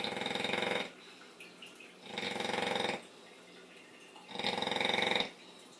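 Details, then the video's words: Sleeping female bully dog snoring loudly like a pig indoors, three long rasping breaths about two seconds apart with quiet pauses between. "Bully Snoring"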